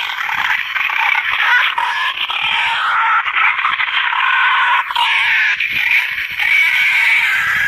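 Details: Wild boar lure sound that hunters use to call boar to a feeding spot: a continuous, strained high-pitched squeal held for several seconds, with brief wavering breaks and a dip near three seconds.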